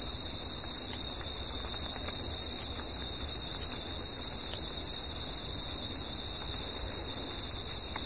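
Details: Crickets calling through the night in natural surroundings, producing a seamless high ringing drone with a faint upper overtone, steady in loudness, over quiet low-frequency rumble and a few faint clicks.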